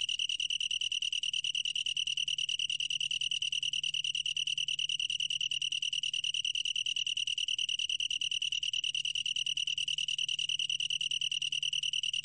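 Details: Steady, shrill ringing trill of a Long-tailed tree cricket, its rapid pulses evenly spaced and continuing without pause; recorded in 2020 by the National Institute of Biological Resources, a gentle low hum underneath.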